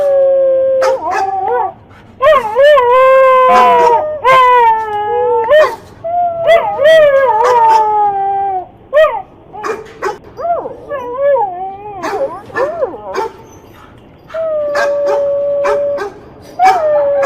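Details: Dog giving drawn-out, wavering howls and whines that slide up and down in pitch, broken by short sharp yips and barks, with brief quiet gaps between bursts.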